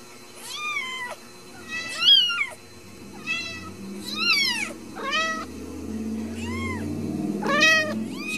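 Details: Ragdoll kittens at a home cattery in central Kansas, not kept in cages, give a run of about eight high harmonic meows, some rising then falling, spaced roughly a second apart, with a low hum and faint rumbling underneath.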